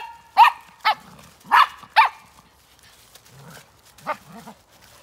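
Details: A dog in dark woodland before dawn, 17 December 2020, gives four quick, sharp barks in the first two seconds, then after a pause one more bark, with low soft grunting sounds in between.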